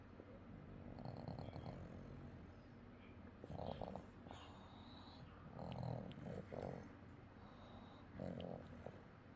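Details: Orange pet cat asleep, giving rough, low snores in short wheezy bursts, about four over nine seconds, some with a nasal rattle, against a steady low indoor hum.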